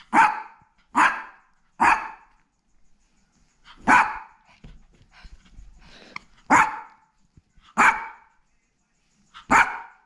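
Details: Mino, a black teacup poodle born November 2017, at home in Guangzhou, barks furiously out of jealousy at a visiting poodle friend: seven sharp, loud single barks at uneven intervals of one to two seconds, with quiet shuffling between.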